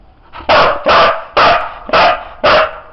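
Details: Siberian Husky named Sizara barking on command to count to five: five loud, even barks spaced about half a second apart, each short and clipped, with Bulgarian praise around them.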